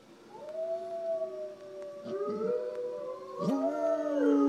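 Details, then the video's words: Shelter-adopted dog answering recorded wolf howls: long tonal howls that hold steady, then waver and rise, with overlapping harmonic voices and a sudden upward swoop late in the clip. "Cecil the dog hears different wolves howling and nails the responses!"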